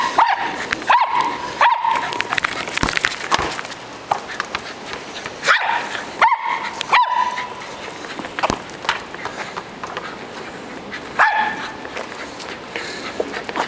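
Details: During ball play a dog gives scattered high yipping barks, singly and in pairs, separated by longer gaps filled with clattering, tapping and movement noise.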